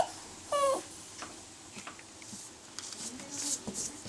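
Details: Italian Greyhound giving a single short, high, steady yelp with ringing overtones, lasting about a quarter second, followed by soft clicks, taps and light room noise.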